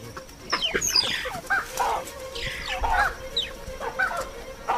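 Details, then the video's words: Mongooses give sharp, squawky chirping alarm calls in quick overlapping bursts, several a second, over steady rustling, warning of danger such as a crowned eagle; nearby baboons respond swiftly and the mongooses dive for cover. "mongooses are quick to warn of danger and the baboons respond swiftly to their chirping alarm calls"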